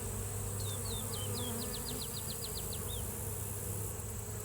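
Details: Honey bees flying on a spring day give a steady, low droning buzz throughout, with a singing bird's quick series of about a dozen high, thin chirps across the middle; western honey bee (Apis mellifera) buzz.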